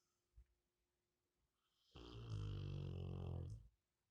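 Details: A sleeping Rottweiler gives one deep, rattling snore, a low rumbling breath lasting almost two seconds.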